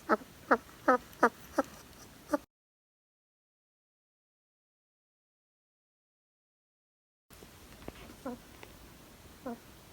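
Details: Pet hedgehog snoring: short squeaky harmonic snorts repeated rapidly for over two seconds, then a gap of silence, then fainter snorts resume over a quiet room hiss.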